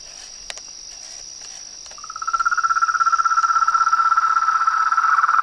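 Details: Frogs and toads in a natural chorus: a steady high-pitched whine runs throughout, then after two seconds a rapid, pulsing mid-pitched trill starts and grows louder, continuing steadily to the end.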